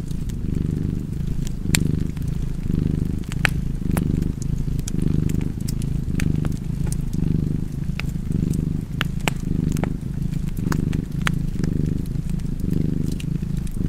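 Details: A continuous deep purr from a cat, its breath-driven waves less distinct, overlaid by frequent crisp crackles and pops from a burning fireplace.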